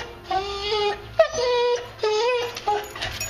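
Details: Boxer dog on a strict diet whining at feeding time while her food soaks; steady high nasal whines in bursts about half a second long, some wavering upward, with little pause between them.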